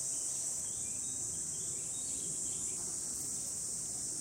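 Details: Cicadas calling in the countryside of Hiroshima Prefecture, Japan, in July 2021 on a hot sunny day: a continuous, even, very high-pitched droning buzz runs unbroken throughout, with low outdoor rumble beneath.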